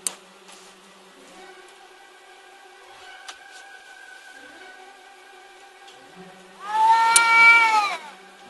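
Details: Two pet cats brawling in front of a house in the middle of the night, filmed on a phone and a digital camera: long, steady, drawn-out yowling tones, then a sudden loud, wavering screech near the end.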